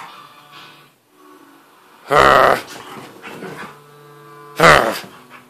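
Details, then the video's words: A domestic husky worked up and carrying on: two strong, strained, wailing outbursts about two and a half seconds apart, over a low steady hum and quiet background music. "husky goes crazy!"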